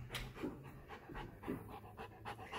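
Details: Golden Retriever named Rex panting while watching TV shows: soft, breathy bursts in a steady rhythm of roughly three per second, with faint television voices underneath.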